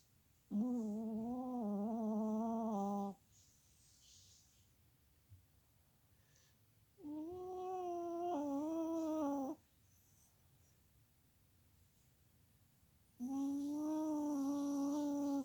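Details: Sleeping Chihuahua Molly Marie snores three times, each a droning, whistling hum of two to three seconds with a slightly wobbling pitch. The snores come roughly every six seconds, separated by quiet pauses indoors.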